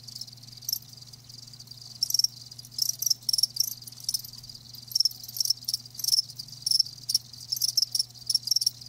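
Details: Live crickets giving rapid pulsed chirps, bursts coming several times a second and growing busier after the first two seconds, high and insistent above a quiet low hum.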